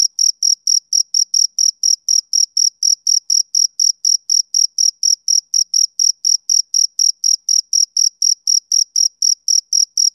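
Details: Male cricket calling in the summer-evening manner: a continuous series of piercing high chirps, about four each second, regular in timing and loudness, alone in a quiet setting.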